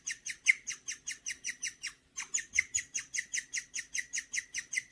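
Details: Pet guinea pig named Gureum, indoors, making a bird-like chirp said to mean it feels good: rapid bright chirps, about two and a half per second, with a short break near the middle before the series resumes.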